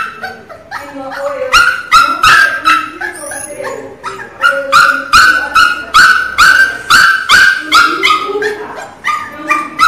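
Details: Loud crying from a Miniature Pinscher puppy, sharp squealing yelps about two or three per second, each a bright tonal cry with rich overtones, some sliding lower into whines between bursts.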